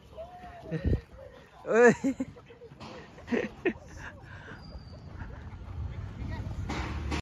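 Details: Tibetan Mastiff puppies in Haldwani, Uttarakhand: one loud, high, arched yelping bark stands out, with a few shorter, fainter yips around it, then rustling and low background noise.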